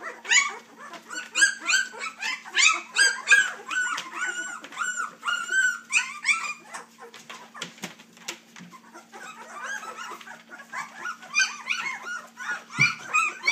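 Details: Whining three-week-old puppies, offspring of Dixie and Colby, cry in rapid, looping high squeals, about three a second, clearest early on, then softer scattered whimpers and a few clicks and bumps; a low electrical hum persists.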